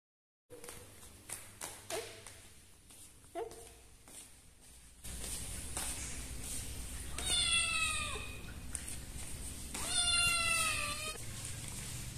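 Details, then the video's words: Frightened kitten found behind a door in Indonesia, crying in fear: after several seconds of faint taps and room noise, two loud, drawn-out meows come, each sliding downward and about a second long, roughly three seconds apart. "Found A Kitten Behind The Door Crying in Fear."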